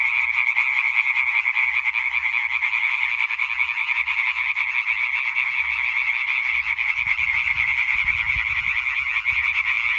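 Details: A singing concert of European tree frogs on 20 May 2023. Quick, grating croaks repeat relentlessly in an overlapping mass, with a short low rumble near the end.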